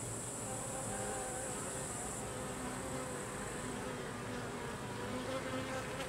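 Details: Many Carniolan honey bees buzzing at the hive while workers expel the drones, a steady layered drone with brief rising wing tones and a high hiss that fades partway through.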